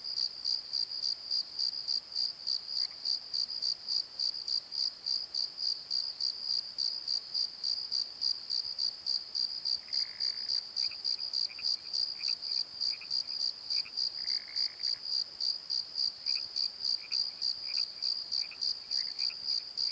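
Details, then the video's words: Crickets at night in a valley bottom with a steady high pulsing chirp about three per second; in the second half a lower caller adds short chirps and two brief drawn-out buzzy notes. "Crickets and Croaks! Pozo Night Tree"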